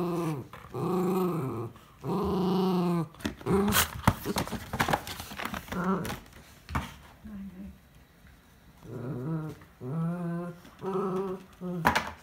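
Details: Miniature Schnauzer indoors, wearing socks on slippery flooring while playfully fighting an empty chocolate ice bar box; drawn-out tonal growls in bursts of about a second, several in a row, with rustling and thumps of the box between them.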